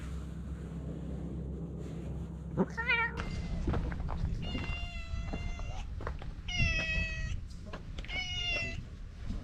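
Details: Talkative stray cat giving a quick trilled chirp followed by three long, even, strongly harmonic meows about a second apart, with a soft thunk and a low hum in the background.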